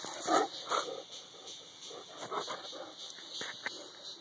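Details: Saint Bernard named Boomer, romping wildly during an outing; two short, high, whining yelps open the clip, followed by scattered soft clicks and rustling thuds.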